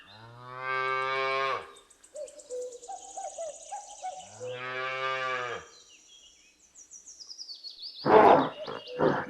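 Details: A calf gives two drawn-out, nasal moos, each about a second and a half long, with soft tonal notes between them and a short noisy clatter at the end.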